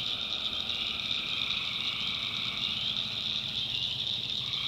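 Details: Tree frogs at night in the North Carolina backwoods produce an unbroken high trilling chorus, a lower caller briefly joining near the end.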